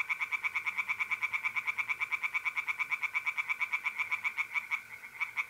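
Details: Loud, close tree frog song at a pond on an April night in north-eastern Italy: an unbroken stream of rapid, regular croaking pulses, about seven per second, with a soft background trill of mole crickets.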